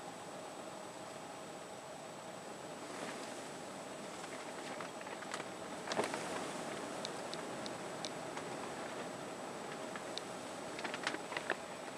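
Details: Steady hiss and low hum with scattered clicks and rustles, and no clear animal call.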